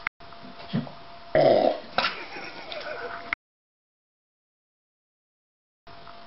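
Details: A 9-month-old male Shiba Inu lets out a short, low, gurgling burp after a meal in a quiet room.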